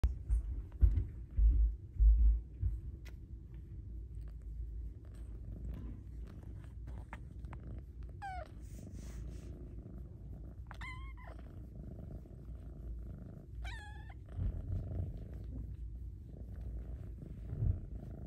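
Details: A female Snow Lynx Bengal kitten purrs loudly and steadily in a low rumble while enjoying attention and petting, breaking into a few sweet, wavering meows.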